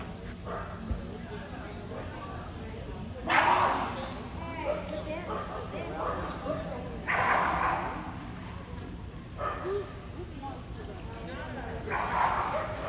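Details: Löwchen at the AKC conformation breed judging in Perry, Georgia, on December 5, 2022, recorded on an iPhone; three loud bursts of sharp barking stand out over a steady indoor hum of crowd chatter and voices.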